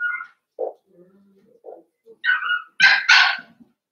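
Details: Playing Cavalier King Charles Spaniel puppies indoors, with a whine, low growly grumbles, then a rapid run of shrill, bright puppy barks near the end.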